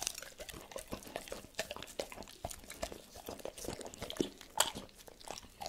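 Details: Indoors, the dog Tito eats cordon bleu, with crunchy bites coming roughly twice a second in uneven rhythm, moist smacking between them and one loud crisp snap near the end, otherwise quiet.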